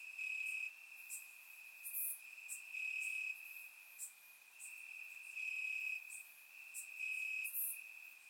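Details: Crickets in the grass on a warm summer night in Bulgaria, chirping as an unbroken shrill trill that rises in loudness in regular waves, several other high insect callers clicking in the background.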